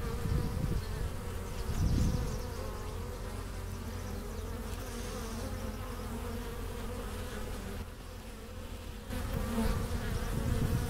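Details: Honey bee colony at its hive entrance, April 2015, foragers returning with pollen and nectar. Dense low humming throughout, louder passes around the second and tenth seconds, a short dip in volume near the eighth.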